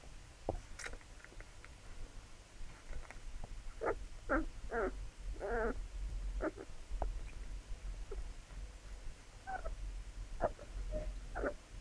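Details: Nursing Labrador puppies give brief squeaks, snuffling grunts and small whines in irregular quick runs, some thin and tonal, others broad and breathy, over a constant low background rumble.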